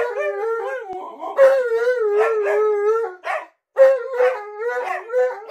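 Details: {'caption': 'Tonka, a pet Alaskan Malamute, talks back in the bathroom with a rolling howl: a warbling start, a sustained even tone, a brief silence, then a higher yodelled burst settling lower; laughter follows.'}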